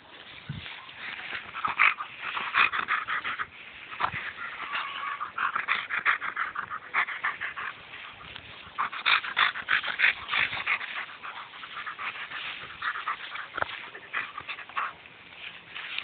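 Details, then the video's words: German Shepherd being silly and playing with its owner: rapid, irregular whimpers and high yips, roughly three a second, mixed with panting. "German shepherd being silly"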